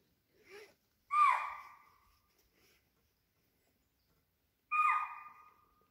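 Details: Spotted deer or swamp deer calling near a water body at Pench, a tiger probably downstream; two loud, clear tonal calls about three and a half seconds apart, each falling then trailing off, with a faint softer note before.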